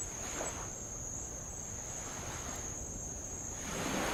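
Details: Tongan insects on Avalau island, Kingdom of Tonga, recorded while rowing around the island beside old lava: an unbroken, very high, steady whine runs throughout, over soft washing of light waves that swell near the start and end.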